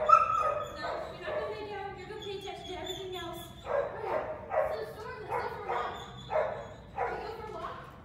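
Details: Boxer dog barking in a run of repeated loud barks, with human speech at the start.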